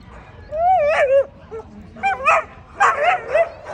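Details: American Pit Bull Terrier at the 2024 ADBA Tristate conformation dog show, 12–18 month female class: three bursts of high, wavering whines and yelps, bending up and down, with low crowd murmur beneath.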